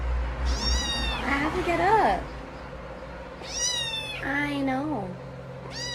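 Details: A domestic cat from a funny cat compilation meows twice, each a bending, wavering cry that rises then falls, about three seconds apart, mixed with high squeaky descending voices and a low steady hum in the room.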